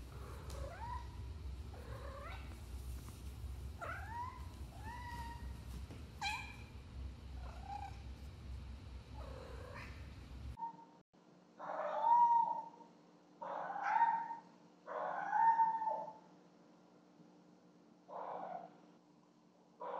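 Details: Nightly gift-bringing by pet cats Cleo and Annie, captured on a home security camera in a lit hallway: a run of short, repeated meows, then louder, longer yowling calls in bursts every second or two, with a faint background hum.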